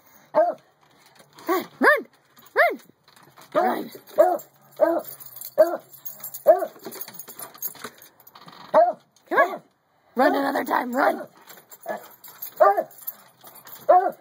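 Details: A pet beagle, with a beagle and treeing Walker coonhound mix, waiting outside and asking to come into the house: short arched baying barks about once a second, then a longer drawn-out howl midway, more barks after.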